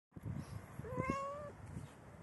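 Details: A Persian cat, about four hours before giving birth, gives one drawn-out, steady meow over low background rumble.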